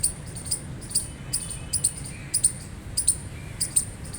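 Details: Gray squirrel chirping: sharp, high, clicky chirps, often in quick pairs, repeated roughly every half second over a low steady background rumble.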